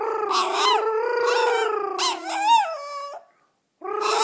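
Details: Yorkshire Terrier howling in a sing-along with its owner: long, steady, tonal howls with rich harmonics and slight wavering, ending in a falling note before a short silence and a fresh howl.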